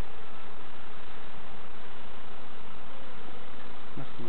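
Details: Bees in an opened allotment hive while novices inspect it: an unbroken, thick buzzing drone with no other clear sounds apart from a faint voice at the very end.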